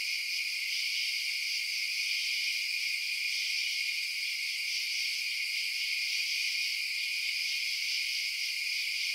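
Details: Crickets at night keep up a constant high, buzzy trilling, many callers blending into one unchanging band of sound with no pauses or other noises.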